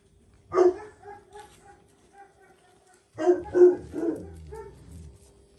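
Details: A lone loud bark, trailing faint yelps, then a fast cluster of barks that tails off, as Jack Russell Terrier Paris gives her son Oscar a lesson.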